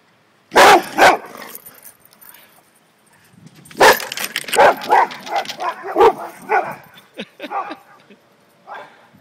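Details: Male Boxer dogs, including one called Bruno, running around at home: two loud sharp barks, a short pause, then a rapid burst of about a dozen barks that slowly fade, with quiet background between.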